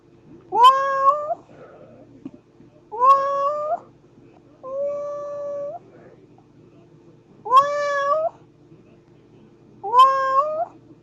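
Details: Domestic cat meowing five times over about eleven seconds; each meow is a clear, harmonic-rich cry that bends upward then holds level before cutting off, spaced two to three seconds apart, over a steady low indoor hum.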